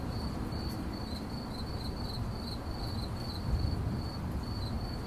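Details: A cricket chirping in 8D audio: a high, even string of quick pulses with a couple of short gaps, set against heavy low-pitched background rumble.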